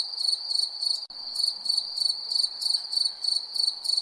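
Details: A cricket at night gives high, bright chirps in short pulsed bursts, about three each second.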